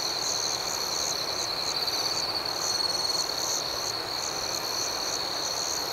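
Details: Crickets at night, a shrill continuous trill beneath regularly pulsed higher chirps repeating several times a second, set against a constant soft hiss.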